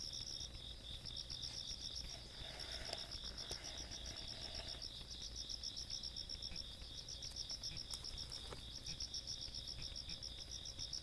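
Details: Rural Korean night, 17 August 2022, insects trilling: quick rhythmic chirps layered over a steady piercing buzz, a short murmuring noise partway through and scattered soft clicks.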